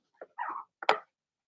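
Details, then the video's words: Blenheim Cavalier King Charles Spaniel puppies from Remy's first litter of six, in an indoor puppy pen: three short, high yips within a second. The middle one is drawn out a little longer, the last is sharpest, then silence. "Cavalier Puppies Bark, Howl"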